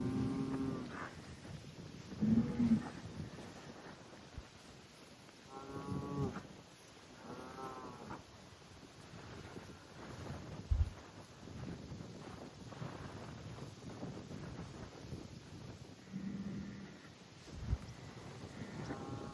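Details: Highland cattle bulls on a farm in Finland, kicking dirt and making noise: a series of short, low grunting moos with harmonic bands, repeated every one to two seconds, with scuffing and rustling between calls.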